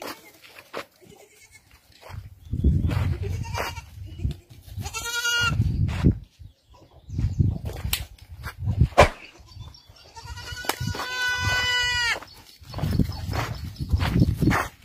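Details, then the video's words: Kalahari Red goat, a breed from South Africa, giving two drawn-out, strongly harmonic bleats, a short one near the middle and a longer wavering one later, amid low rumbling handling noise and scattered knocks. "KALAHARI REDS GOAT"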